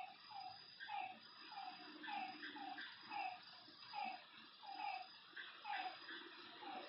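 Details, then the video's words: Nighttime lakeside frog chorus: a regular series of brief downward-sweeping calls, about one every second, set against a continuous shrill whine and soft background rustle. "Lakeside night creatures and frog sounds"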